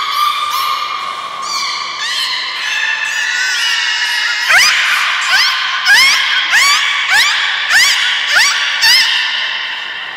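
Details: Captive beluga whale at Nagoya Port Aquarium, Japan, 30 March 2019, at feeding and playtime. A loud series of harmonic whistles is broken into rapid, uneven chirps. Upward-sweeping squeaks repeat about twice per second.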